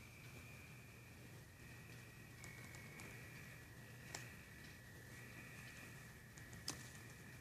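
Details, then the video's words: Crickets heard during a storm: a faint, continuous high trill that holds steady and breaks off briefly every second or two, with occasional sharp cracks and a low rumbling hum beneath. "Best sounds of crickets and storms mux together"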